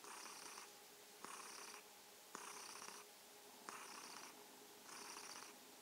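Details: A domestic kitten purrs in soft, breathy bursts that swell and fade roughly once a second, an evening goodnight greeting.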